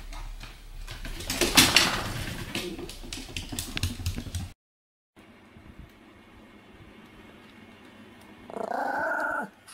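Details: A Pomeranian gives a brief, high, tonal whine after a stretch of clattering handling noise, during a cat-trick (nekodamashi) clap game, 18 November 2015.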